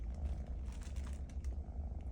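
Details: A mischievous kitten that keeps biting purrs indoors while being scolded; a steady low rumbling purr continues throughout, with faint clicking in the background.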